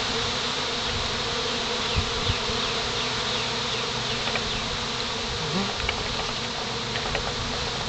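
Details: Settling swarm of honey bees on a pine branch, heard as a continuous layered hum of countless wings, with short rising and falling buzzes of individual bees flying close and faint clicks throughout.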